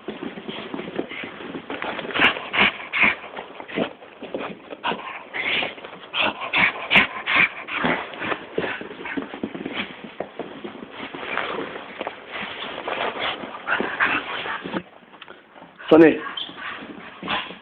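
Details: A 1-year-old Staffordshire Bull Terrier gives rough, throaty growls in uneven bursts with a few whiny yips, which the owner finds funny. A person calls commands like sit throughout, also to a West Highland Terrier.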